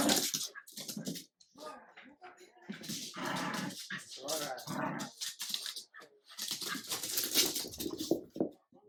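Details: Adult Jack Russell terrier teaching a French bulldog puppy who is leader; repeated snarling growls and sharp scuffle noises in uneven bursts.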